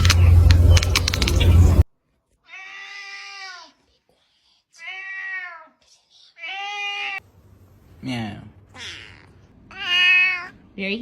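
A domestic cat gives a string of drawn-out, wavering meows, with a person's voice nearby.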